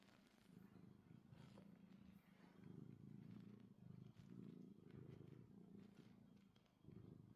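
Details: A happy tuxedo cat purrs: a quiet, low, continuous rumbling pulse that swells and fades in waves over several seconds.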